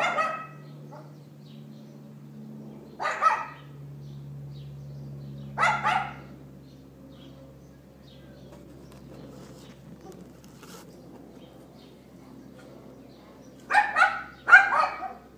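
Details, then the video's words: A neighbour's dog barking at 11:31 in the morning on April 18th 2012, recorded on an iPhone 4S: single sharp barks spaced several seconds apart, then a quick double bark near the end, over a steady low mechanical hum. "Dog Yapping"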